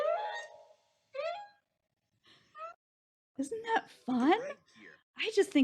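Whale song: drawn-out tonal moans and rising sweeps, followed by a woman speaking.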